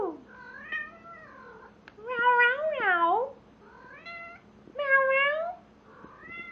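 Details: Male house cat yowling loudly while mating with a stuffed toy animal: a series of long, drawn-out, wavering harmonic yowls that rise and fall, several in a row with short quiet gaps between them.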